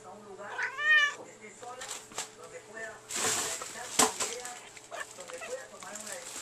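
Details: A pet female cat talking to its owner indoors: one clear rising-then-falling harmonic meow early on, followed by softer short mews, with a woman's voice speaking and a faint steady hum in the room.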